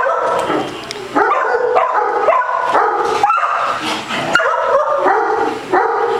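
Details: Basset Hound playing with a ball at a dog day care in Las Vegas, Nevada, and getting the zoomies; a run of loud, harmonic barks and baying yelps, spaced roughly every half second, with faint room echo.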